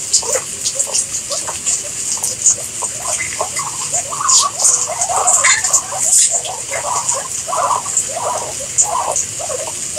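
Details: Ten seconds of guinea pig chatter, clusters of short squeaks and chirps coming in quick uneven bursts with brief pauses between them, under a continuous high-pitched hiss.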